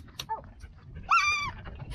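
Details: Siberian Husky puppy that got stuck gives one short, high yelping whine that rises and then falls, about half a second long, against a soft background rumble.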